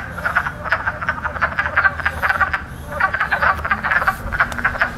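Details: Chorus of spring wood frogs, the loudest frogs around right now, inflating sacs near the lungs to power their croaks; rapid, duck-like clucking croaks overlap continuously in rippling bursts several times per second.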